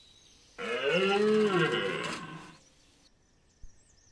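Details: A red deer (Cervus elaphus) stag gives a single deep, hoarse roar lasting about two seconds during the autumn rut at Chambord, France, in September 2021.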